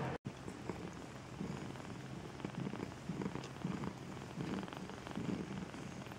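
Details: Maine Coon cat at a breeding cattery in Saint Petersburg, Russia, purring steadily: a low rumbling drone with soft pulsed swells roughly once a second, after a brief click at the start.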